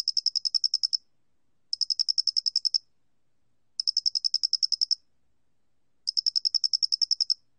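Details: Chirping of a Loxoblemmus doenitzi cricket, recorded in 2020 by Korea's National Institute of Biological Resources: four high pulse trains, each around a second long and about a dozen ticks, spaced roughly two seconds apart.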